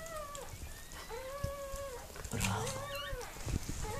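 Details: Whimpering from Mirella, a Miniature Pinscher bitch in labour with puppies: four long, even whines, each held near one pitch and dipping at the end, with soft thuds and shuffling between them.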